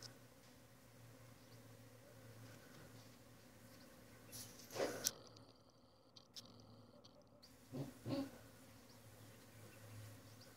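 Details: A swarm of honey bees settling into a disused water feature right outside a bedroom, likened to a distant engine: a steady low droning hum runs throughout, broken by a few brief knocks and rustles.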